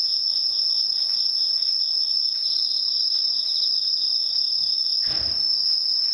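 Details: A bell cricket chorus keeps a constant high ring with faint pulsed trills. A brief low thump or rustle breaks in near the end.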